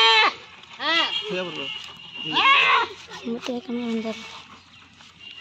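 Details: Local goat held during artificial insemination bleats in wavering, quavering cries near the start and middle, while people talk and give instructions around it.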